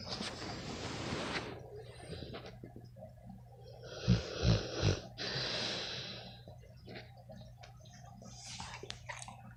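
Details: American Bully, a pit bull type dog, snoring while asleep indoors: a run of rough, breathy snorts, with a louder cluster of three deep rasping snores midway through.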